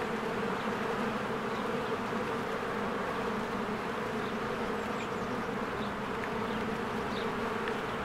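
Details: Busy honeybee hive in spring with swarms of bees coming and going; an even, unbroken wing drone throughout, joined by scattered faint bird chirps in the background.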